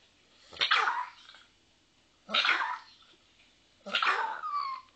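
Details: Lucky, a small pet dog, gives three short high yappy barks about 1.5 seconds apart, each with a sharp bright onset and falling tail, in a quiet indoor setting.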